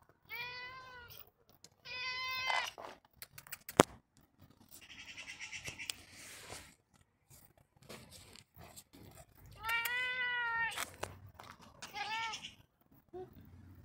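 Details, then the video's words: Expressive pet cat Roger gives a run of insistent meows, two quick ones early, a longer wavering one near ten seconds and a short final cry, with clicks, a sharp tap and breathy rustling between them. "Meowy Roger"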